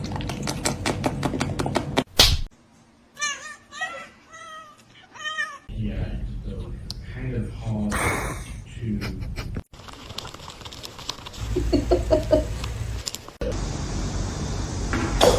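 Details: Kitten crying in a quick run of short, arching mews that repeat rapidly for a couple of seconds. People talk and laugh around it, and there are bursts of noise.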